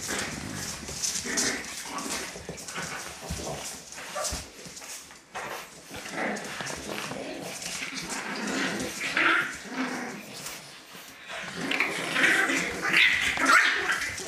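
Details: Puppies in a dog litter, restless rustling and tapping at first, then a cluster of high whimpering squeaks building toward the end, faint voices in the background.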